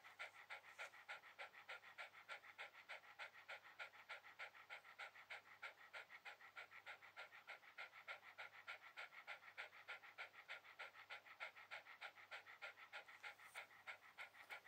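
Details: A Shiba Inu lying relaxed on a towel pants rapidly and regularly, roughly three breathy puffs each second, an unbroken rhythmic huffing with no other sounds around it.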